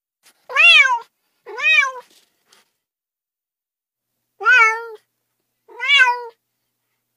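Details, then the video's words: Cat meows in two pairs: two clear, rising-then-falling harmonic calls about a second apart, a pause of over two seconds, then two more similar drawn-out meows, with silence between them and no other sounds. "30 minutes of Cats' Meow"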